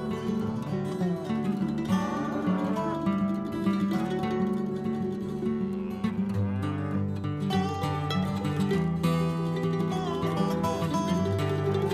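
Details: Steady plucked guitar music with a strong bass line throughout, and no animal sound.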